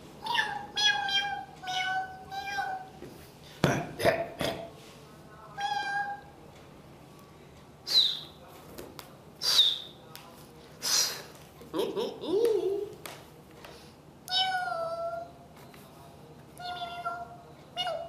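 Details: Pet cat at home, being teased while sitting on a chair until it gets annoyed and hides behind a pillow; repeated drawn-out meows with clear harmonics, interspersed with sharp clicks and handling noises.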